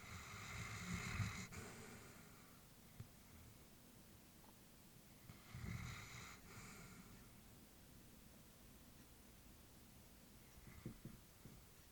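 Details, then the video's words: Sleeping elderly female Labrador Retriever breathing in a quiet room, two clear rasping, snore-like breaths about five seconds apart, then quieter faint breathing with small snuffles. "Elderly dog sleeping with breathing sounds"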